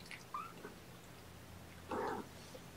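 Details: Young kittens indoors during an early-morning syringe feeding with formula; a brief thin mew near the start, then a louder, fuller mew about two seconds in, over quiet room hum.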